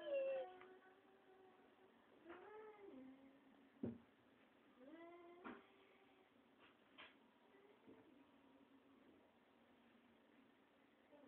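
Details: Domestic cats with kittens being coaxed out from under a door; several drawn-out meows with bending, falling pitch, a few short clicks and knocks between them, and a quiet room.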